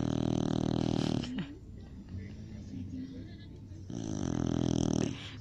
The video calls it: Cocker Spaniel roncando